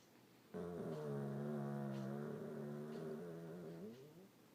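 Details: Loud snore from Kelly, a household Old English Bulldog: one long, rumbling, buzzy breath of about four seconds, steady and deep, easing off and fading at the end in a quiet room.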